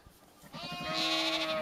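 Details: A sheep in Skåne, Sweden, gives a bright, drawn-out bleat that swells in from soft rustling and holds steady, buzzy and harmonic-rich, for about a second.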